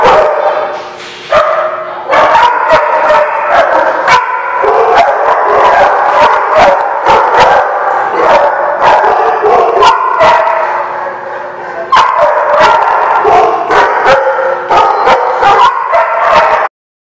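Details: Chorus of dogs barking, 19 February 2016, The Barking Lot; dense overlapping barks and high yips, a brief dip after the first second, then steady loud barking until a sudden stop at the end.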